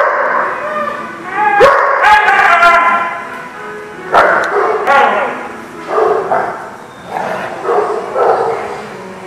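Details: Dog at The Barking Lot, dated 2/8/20, giving loud, tonal barks and yelps in clustered bursts around two, four, six and eight seconds, each rich in ringing overtones, over a steady background murmur.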